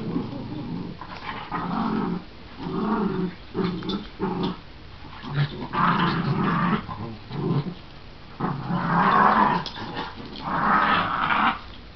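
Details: Two small dogs playing together, a shih tzu/pomeranian mix that does most of the barking and a miniature schnauzer growling while wagging her tail; repeated deep rumbling growls alternate with sharper, higher bark bursts, in busy overlapping rounds.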